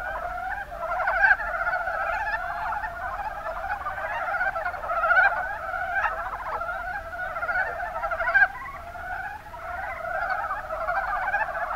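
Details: Rana ornativentris, the mountain brown frog, recorded in the Kuma Basin, Kumamoto Prefecture, Japan: many frogs croaking together in short, rattling, clucking bursts, some louder calls standing out around the middle and later.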